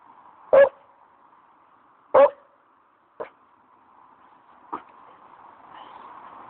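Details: Alarmed Staffordshire Bull Terrier barking at a plastic chair in a dog park, his first barks ever: two loud clipped barks about 1.5 seconds apart, then two softer shorter ones, with a background hum.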